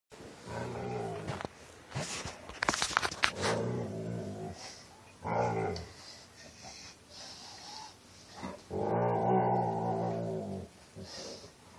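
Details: Rocky, a pet dog rolling on his back like a pig in the mud, moans in a very deep voice; several long, low, harmonic groans with pauses between, some rising and falling, in a quiet room.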